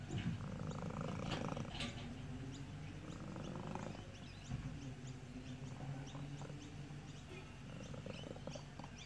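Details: Domestic cat producing an odd sound compared to a car engine, a low, throbbing, continuous rumble that is strongest at the start and then steadies, with faint bird chirps behind it.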